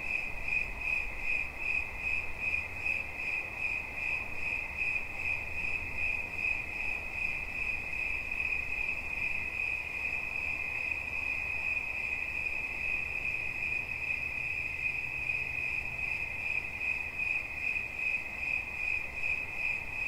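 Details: Cricket chirping for relaxation, a sustained piercing trill pulsing rapidly and regularly throughout, with a faint low hum and quiet ambient hiss behind it.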